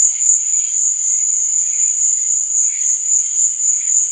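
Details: Crickets at night, a continuous high shrill trill held steady throughout, with softer warbling insect notes beneath and a gently pulsing loudness.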